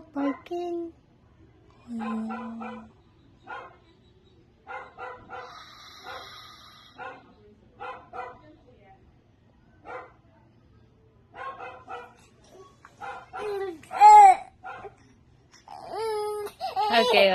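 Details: Dog barking outside, short clipped barks in loose bursts of two to four spread across the recording, fairly distant and quiet, with a person speaking and higher voiced sounds toward the end.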